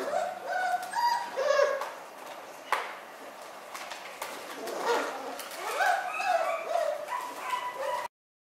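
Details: Newborn miniature schnauzer pups born on New Year's Day, squealing in quick uneven bursts of high, wavering whines and peeps, several voices overlapping, before the sound cuts off abruptly.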